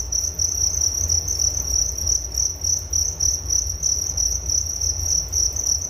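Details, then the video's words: Nature sound of crickets for relaxation and falling asleep, a dense high-pitched chirping that pulses quickly and steadily, with a soft low hum underneath. "Relaksasi Suara Jangkrik Penghantar tidur || Nature Sound of Crickets"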